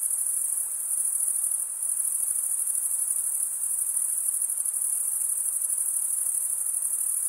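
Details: Male crickets stridulating with their wings produce an even, very high, rapidly pulsing trill that carries on without pause, briefly softening near the two-second mark, with nothing else clearly heard.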